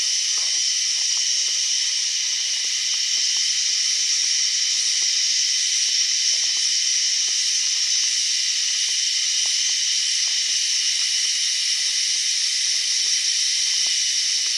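A cicada drones without pause, a dense, high-pitched hiss like escaping steam. The buzz holds an even loudness throughout, with only faint clicks and thin tones beneath it.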